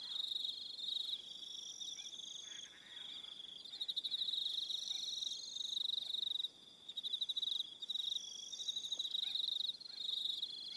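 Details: Evening crickets on Aroha Island, New Zealand: high, buzzy trills in a dense chorus, pulses repeating roughly four times a second, with a brief silence midway.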